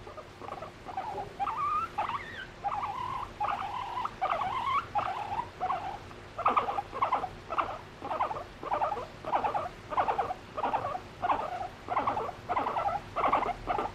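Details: Female pet guinea pig seeking affection from her owner, no background music: a steady series of squeaky rising-falling wheeks, each about half a second, repeated roughly every second over a faint household hum.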